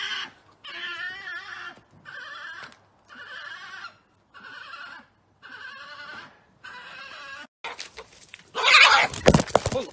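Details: Garden badgers fighting on 14 July 2019, then charging toward the person filming. Seven evenly spaced bursts of harsh, chattering wails, each under a second long, followed by a loud broadband rustling scuffle.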